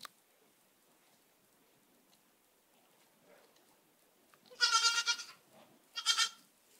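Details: Two young goat kids in a pen beside their mothers. After a quiet stretch, one loud, high, quavering bleat is followed about a second later by a shorter second bleat.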